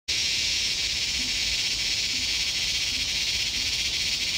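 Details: Loud insect about 2 cm long, recorded in Laos: a dense, steady high-pitched shrill buzz that starts abruptly and holds without a break, with faint low tones in the background.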